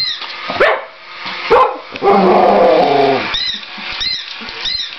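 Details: Whippet, one of two male whippets playing with a mechanical cat: two sharp barks in the first two seconds, then a drawn-out harmonic whining tone. Repeated high electronic chirps from the toy follow, with people talking nearby.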